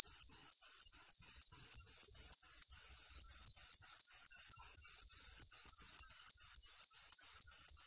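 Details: Cricket chirps used as sleep sound and rat deterrent: high ringing pulses in quick steady series, briefly pausing near the middle before resuming at the same pace, over a quiet background.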